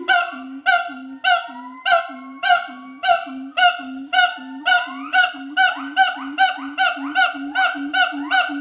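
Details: Mated adult siamangs at Schmutzer Primate Center performing their territorial duet song: steady series of loud resonant barks roughly every half second, overlaid by long rising whooping slides that climb higher toward the end.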